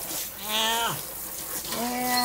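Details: Twenty-year-old cat Butch, who hates baths, grumbles while being soaked on July 5, 2012: two whiny meows, the first bending downward at its end, the second rising and held, with water sounds behind.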